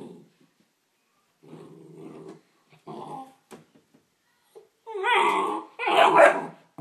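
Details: Neapolitan Mastiff x Pit Bull puppy facing its reflection in a mirror: a low, quiet rumbling growl, a few soft scuffs and snuffles, then two loud, harsh, drawn-out barks close together, indoors.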